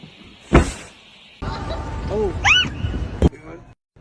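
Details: Kitten meowing amid funny cat scenes: two short, bowed meows in quick succession, each swelling up and dropping away, with people talking and a thump before them.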